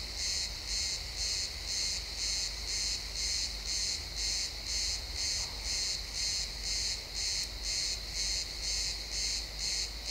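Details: Crickets at sunset in a pine forest, XY stereo: high, buzzy chirp pulses keep a steady beat near two per second throughout, with faint low rumble underneath.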